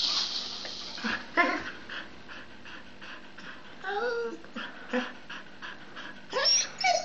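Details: Pet dog Luna playing with her rattle ball, giving short whimpering whines with wavering, sliding tones, mixed with bursts of rattling and breathy noise between the cries.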